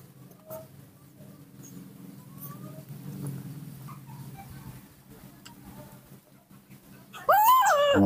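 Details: Baby monkey Nomi, raised at home, throws a morning tantrum, impatient for milk. A quiet room with a low hum and faint ticks gives way near the end to a sudden loud, wavering, harmonic scream that bends up and down.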